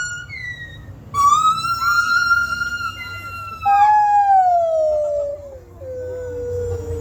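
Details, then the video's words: Monkeys calling at Santa Ana Zoo: a loud, pure, siren-like wail begins abruptly, holds steady with a slight rise, then a second strong call slides steadily downward and fades into a lower tone, over a low background rumble. "monkeys making noise at Santa Ana Zoo"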